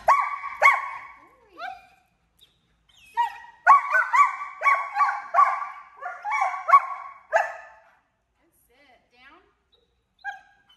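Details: A 10-month-old German Shepherd in off-leash training in Georgia gives a run of sharp, high, ringing barks and yelps, several a second, in two bursts, with a trainer's voice in between.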